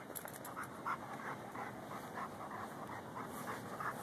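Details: Lou the gopher-digging dog, a Ridgeback and Bull Mastiff cross, pants steadily and quickly while searching a gopher mound, with faint rustling in the background.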